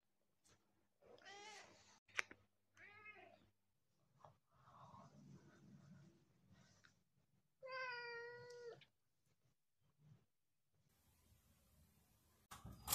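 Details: Domestic cat protesting during flea treatment, giving several drawn-out harmonic meows and wails, one loud strained yowl near the middle, with rustling and handling noises between calls and a burst of noise at the end.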